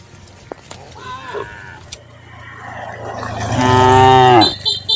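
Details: Cattle in a crowded herd walking toward the livestock pen in the countryside; a faint low call early, then a loud drawn-out moo from about 3.4 to 4.5 seconds with rich stacked harmonics, ending abruptly.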